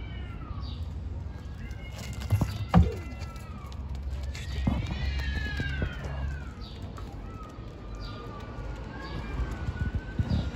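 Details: Street-dwelling stray kittens, hungry, call in a string of drawn-out, arched meows, one long and strong near the middle, among thumps and low outdoor background noise.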